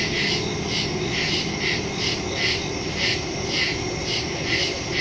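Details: Crickets calling after dark in a forest, recorded September 2, 2023 with a Shure MV88+ stereo microphone on a Samsung Galaxy S22 Ultra; shrill overlapping chirps form a steady wall of sound beating in even surges.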